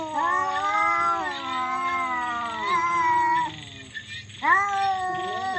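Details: Fighting cats yowl loudly and weirdly: a sustained, slightly wavering moan holding steady for over three seconds, a brief pause, then a fresh wail that rises sharply before settling.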